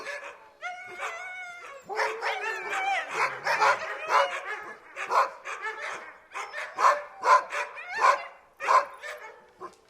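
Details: Several dogs barking at a gate, a dense overlapping mix of sharp barks, yips and a few whining, howl-like tones, building into rapid bursts around the middle and easing off toward the end.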